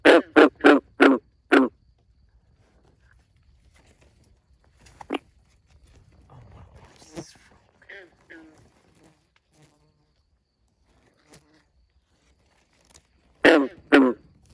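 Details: At 2:30 am at a backyard pond, a frog gives loud, raspy croaks in a quick series, then pauses before croaking again.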